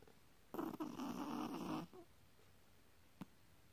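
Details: Chihuahua asleep, giving one drawn-out raspy snore lasting over a second, grainy and throaty, then quiet breathing and a single faint tick.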